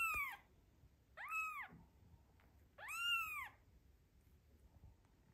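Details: Mother cat in the postpartum period, worried about her newborn kitten's safety during an afternoon walk, giving three arched, rising-then-falling meows with rich harmonics, spaced about one and a half seconds apart, in a quiet setting.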